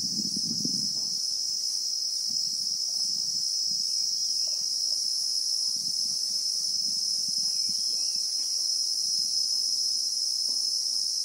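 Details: In South Africa's bushveld, Christmas beetles (Anoplognathus) keep up an even, intense high buzz, real-time recording; a short low rumble opens the clip, faint bird notes appear midway, and scattered soft low rustles continue.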